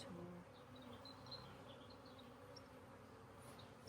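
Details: Honey bees humming steadily inside a fairly populated hive being split and re-queened, a dense low drone with a band near the bottom and faint brief chirps higher up.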